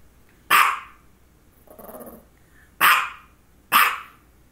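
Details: Female dog having focal seizures before and after this bout of barking: three sharp, loud barks with a low, rough growl in the gap after the first, preceded by a person's remark.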